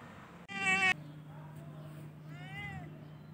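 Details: Domestic cat in spring gives two meows: a loud, abrupt harmonic cry, then a softer, wavering, rising-falling meow about two seconds later, over a constant low electrical hum.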